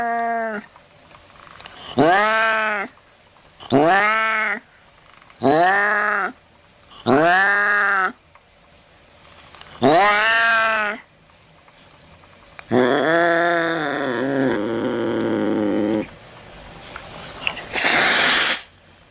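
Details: Cat calling to scare rats from a house: a series of short, arched meows repeated about every two seconds, followed by longer, wavering, strained cries and a final breathy, noisy burst.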